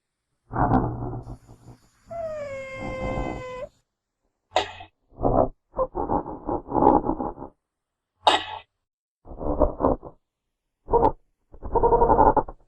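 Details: Genet calling in the wild: repeated harsh, grating growls, then a clear, tonal wail that drops and levels off. More clipped rasping bursts and sharp clicks follow, with quiet gaps between them.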